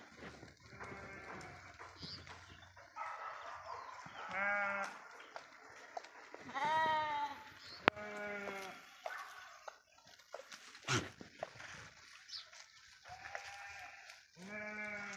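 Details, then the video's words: Sheep feeding on grass in a forest; many animals bleat in turn, short and long quavering calls near and far, with occasional thumps and faint voices. "అడవిలో పచ్చిక మేస్తూ సేవ తీరుతున్న గొర్రెలు"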